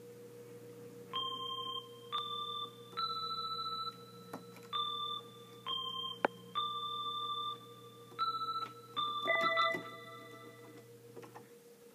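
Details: Single piano notes and short chords played one after another over a constant low indoor hum.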